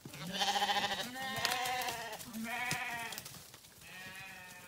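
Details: Sheep bleating in a rapid series of four wavering, harmonic-rich bleats, each about a second long, the first loudest, with some rustling between calls.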